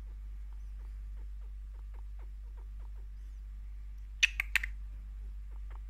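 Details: Five-year-old female chinchilla Picchu, a well-bonded pet, gives soft content chirps when her owner sits with her offering scratches; faint falling chirps come roughly three a second, broken near the end by a few sharp clicks, with low room hum.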